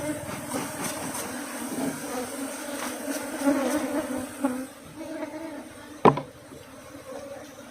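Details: Thai farm Asian honey bees swarm around combs holding larvae being cut out. A continuous low humming drone fills the clip, with a sharp knock near the end and faint background noise.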